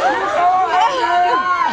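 Humpback whale song: overlapping tonal moans that sweep up and down in smooth, wavering arcs.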